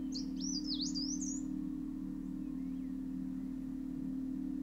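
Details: Bumblebees and stingless bees drone with a steady, low hum as they feed on nectar at a blooming Himalayan Horse Chestnut in a Uttarakhand forest, while a small bird twitters briefly at the start.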